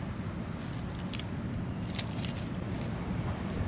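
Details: Low, steady rumble of distant traffic with faint crackles and clinks, and no animal calls.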